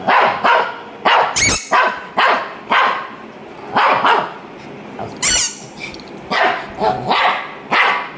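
A small dog, a Shih Tzu, barks in quick sharp bursts, some doubled, with brief pauses between.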